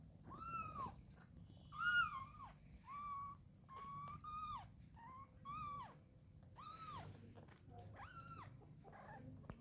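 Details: Domestic cat with its kitten, a mother shown caring for her young; a series of clear, arched meows, each rising then sliding down, about nine in ten seconds, over a low steady background hum.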